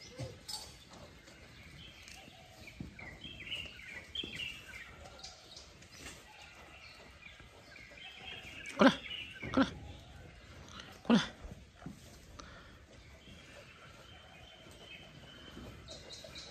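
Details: A lively, healthy lamb nearly one month old, with long ears, kept on a village farm as a future breeding sheep; three short harmonic bleats come in the middle, over a quiet rural background with faint bird chirps.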